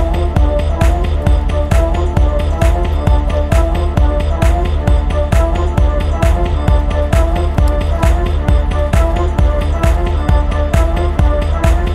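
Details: Steady electronic music with a heavy, regular beat and deep bass throughout.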